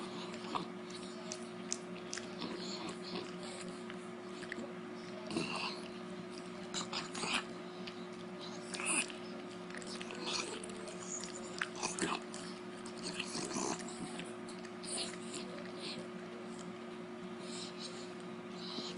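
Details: A female Beagle devouring a dog treat, chewing noisily with irregular crunching clicks and soft lip smacking over a steady background hum.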